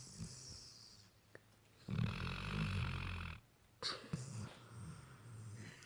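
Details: Sleeping Labrador puppy Lukas snoring in a low, rough rumble, one long snore in the middle with breathy hissing, followed by shorter snorting breaths.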